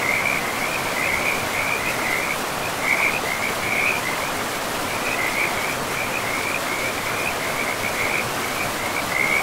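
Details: Chorus of frogs beside a forest river, their high trilled calls coming in short overlapping bursts at a steady pitch throughout, set against the continuous hiss of running water.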